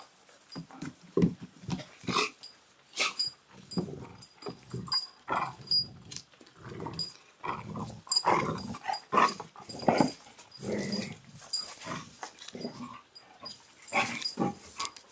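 Belgian Malinois puppies yelp, whimper and grumble in quick, overlapping bursts.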